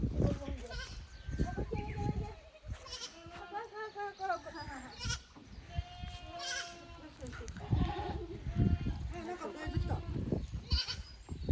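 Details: Young goats from a lower pasture visiting the upper pasture of a handmade goat farm in Japan on 15 May 2024; repeated wavering bleats from several kids, overlapping, with a person talking and low rumbling noise throughout.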